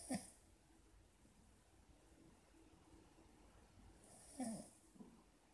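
A Cavalier King Charles Spaniel snores in two short, rasping, snorting breaths several seconds apart.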